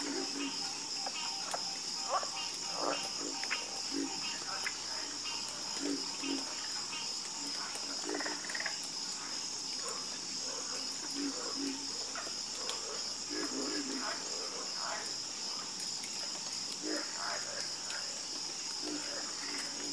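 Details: Frogs croaking together at night, a dense chorus of short croaks and clicks overlapping in the low-middle and middle range, over a steady high insect hum that runs throughout.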